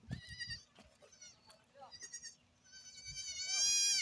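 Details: Goats on a farm, short quavering bleats mixed with brief human voice sounds, then a long, loud, rising and trembling bleat closing the recording.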